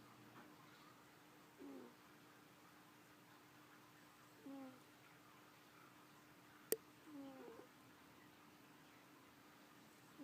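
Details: Snoring from a she-cat fast asleep indoors, each breath giving a brief high squeak repeated roughly every three seconds, four in all, with one sharp click midway and a faint constant hum.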